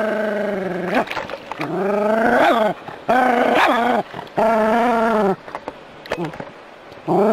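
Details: Jack Russell Terrier tussling with hose water, voicing wavering, whine-like growls that rise and fall in pitch, several in succession with a couple of short sharp yips between.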